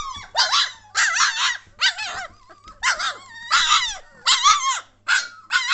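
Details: Lively litter of German Shorthaired Pointer puppies, 3 weeks 1 day old, recorded 22 May 2014: harsh raspy yelps and squeals in separate bursts roughly twice a second, mixed with thinner whines and a low background hum.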